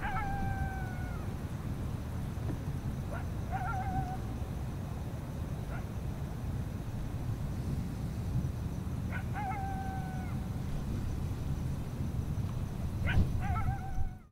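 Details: Several coyotes at Lake San Marcos on Oct 26, 2016, heard from a public dock, possibly alerting: short sharp barks trailing into thin, wavering yelps, bouts a few seconds apart, over a constant low background rumble.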